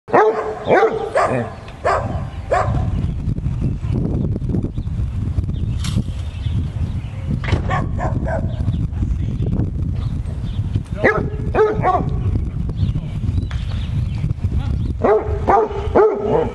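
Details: A Basset Hound playing with a frog he found gives deep, drawn-out barks in short bursts over a steady low rumble.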